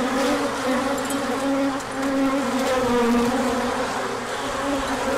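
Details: Bees swarming out on a big orientation flight on a sunny spell following cold days, 24 March 2024; dense droning buzz of many wings, pitch drifting up and down as individuals pass close.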